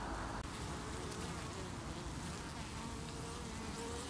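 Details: Honey bees at their hive on 8 August 2018, the colony defending itself against beewolf wasps (Philanthus triangulum) and forming a chain below the landing board to remove an insect. A dense, steady buzzing hum with low droning tones throughout.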